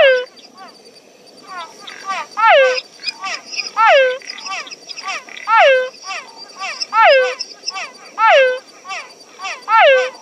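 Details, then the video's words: Frogs in a night chorus in their natural habitat. Strong, downslurred whistled croaks repeat roughly every one and a half seconds, with a busy background of softer, shorter calls from neighbouring frogs. "Frog Sounds, Natural Frogs Singing in the World"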